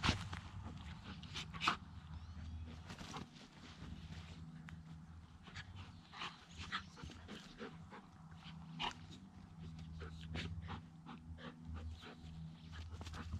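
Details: Dog Zooka playing with a much larger dog, Willy, in week 13: irregular breathy huffs and short scuffling bursts, about forty a minute, over a steady low hum, with a few sharper clicks near the start.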